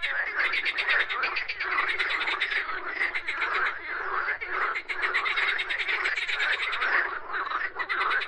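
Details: A chorus of frogs: busy overlapping croaks and rattling pulses, steady and loud, with brief brighter clicks standing out above the constant mass of calls.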